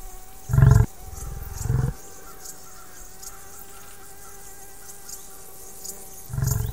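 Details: Wild buffalo in savannah habitat: three deep, short bellowing grunts, the first two about a second apart and the third after a long pause, with steady faint tonal humming and insect-like background between them.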